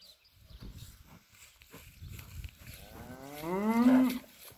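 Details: Limousin steers, a group aged 9 to 17 months, on a farm in Spain: after soft low rumbling, one animal gives a loud drawn-out moo that rises then holds, about one and a half seconds long.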